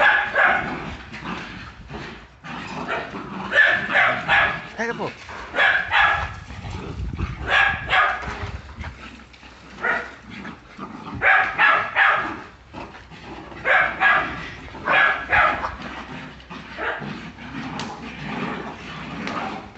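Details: Jagdterrier in Brazil barking in rapid clusters of sharp, harsh barks, several to a burst with short gaps between, while a human voice talks over much of the recording.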